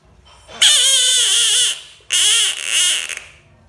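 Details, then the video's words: Bullfrog screaming: two loud, drawn-out, wailing cries, the first about a second long and the second broken into a wavering double note, each strongly harmonic with a slightly falling, cat-like tone, in a quiet background. "bullfrog sounds screaming frog"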